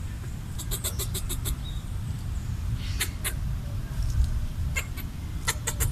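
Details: A red squirrel eating coconut scraps chatters to scare away a perceived threat, giving short runs of crisp ticking clicks separated by pauses, against a constant low hum.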